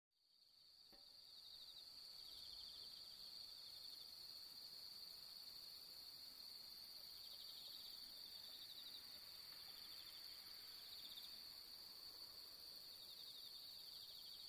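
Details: On an autumn night at the harvest moon, a bell cricket rings a high, clear, bell-like trill that carries on steadily without pause.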